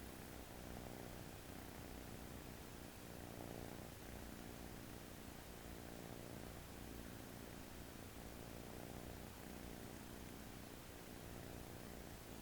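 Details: American Shorthair kitten asleep on its owner's arm on its first day home, relaxed and snoring: a quiet, low, steady rumble with soft breathing swells about every three seconds, over faint room hiss.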